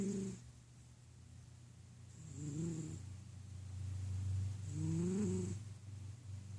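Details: Large male house cat snoring while napping indoors: low, rough, rhythmic breaths, with two louder rising snores around the second and fifth seconds and a steady low hum underneath.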